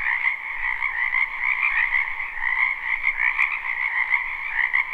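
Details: Live recording of a wetland frog chorus in spring: continuous croaking trills from many frogs layered in two pitch bands, a few individual calls standing out with slight upward slides, plus one sharp click.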